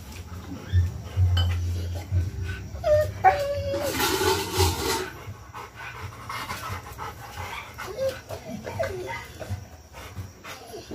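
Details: A 14-month-old Rottweiler gives brief, soft whines and breathy panting over a low background hum.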